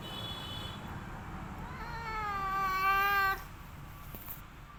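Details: An orange domestic village cat named Boy, fed and then settling down to sleep, gives one clear drawn-out meow of about a second and a half with a steady, even tone, in a quiet indoor setting.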